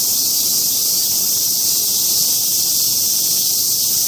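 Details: Steady, hiss-like droning of cicadas at Mount Atago, Japan, unchanging across the whole stretch with a faint high ringing tone on top.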